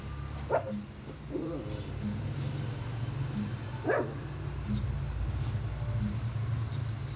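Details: Yorkshire Terrier indoors, eager to get back its freshly washed toy, gives two sharp rising yelps several seconds apart over a steady low hum, with soft speech nearby.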